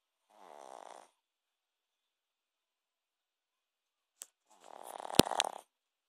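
A Shih Tzu snores in two rough, rattling breaths, the second with a few sharp clicks.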